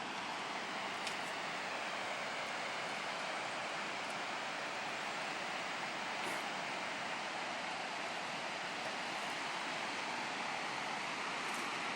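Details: Steady broadband rushing noise like rolling surf or passing traffic, with no animal calls.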